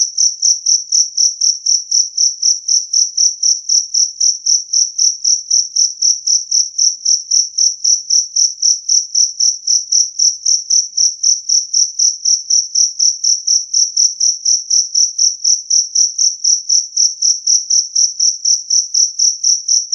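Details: Loud, clean chirping of a two-spotted cricket, kept to repel rats, repeating evenly at roughly four pulses a second for a long unbroken run of high ringing notes against silence.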